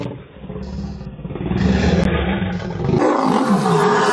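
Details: Lion roaring, from a clip about male lions pushing their sons away at two years old; a deep, sustained rumbling roar with steady low energy, rising in intensity after the first half second, some vehicle-like rumble beneath.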